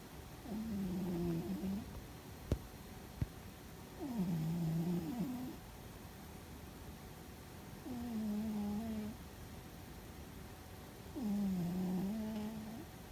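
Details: Fuzzy the cat in deep sleep, perhaps dreaming, snoring loudly: four low, slightly wavering droning breaths, each about a second long, repeating roughly every three and a half seconds, with two faint clicks between them.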